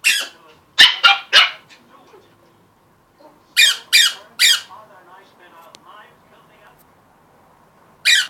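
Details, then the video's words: Playful puppies with a balloon and squeak toy let out bright, high-pitched yaps in groups of three, separated by quieter squeaks and scuffling, and ending on one last yap. "The Puppies verses a balloon and a squeak toy Play"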